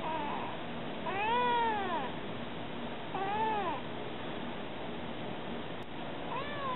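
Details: Baby Kady Jane, a stray kitten, calls to people with two long, bowed meows about two seconds apart, swelling and fading in pitch, with a third meow just beginning at the end over a faint background hum.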